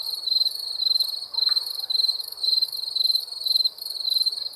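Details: Crickets chirping at night: a steady high-pitched pulsing trill in short bursts, roughly two per second, with a faint soft background hiss.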